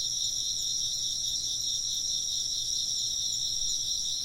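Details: Many insects trill together in an unbroken high-pitched chorus, shimmering bands holding steady from start to finish over a soft low hum.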